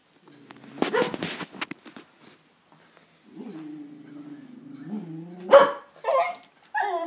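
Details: A Jack Russell terrier × beagle cross, excited by a full-breed beagle down the road and wagging hard, gives a long, wavering baying whine that breaks into sharp, loud barks.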